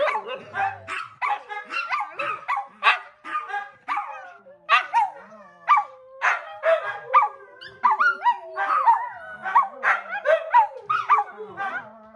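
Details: Several pet dogs at home keep up a noisy chorus just as their owner sits down to watch TV: rapid, high, harmonic yips and barks, overlapping and repeated several times a second without a break.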